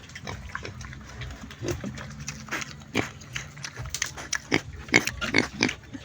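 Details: Pig giving a rapid series of short, rough grunts, about two per second and irregular, building in loudness toward the end, over a low rumbling background.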